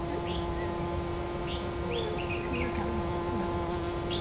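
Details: A black shield wasp (Vespa bicolor) hunting flies in Aberdeen Country Park, Hong Kong, makes a steady, low droning wing buzz, with brief bird chirps above it.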